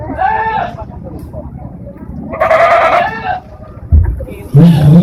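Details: Etawa goat from Senduro at a national-class goat contest in Lumajang: one loud, wavering, nasal bleat lasting about a second amid crowd chatter, followed by thumps and a low voice.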